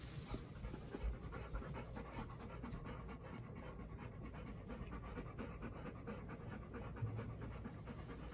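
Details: Golden Retriever panting among a group of three: Bis, Ibuki's four-year-old daughter, nervous on the day after first meeting her mother Ibuki and Kohaku. Quick, steady breathy panting runs throughout over a low constant hum.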